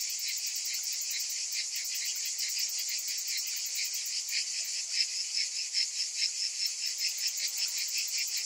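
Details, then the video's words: Summer cicadas heard as a softer high buzzing wall of sound, its rapid pulsing growing more distinct and throbbing in the second half. "Cicadas in Summer"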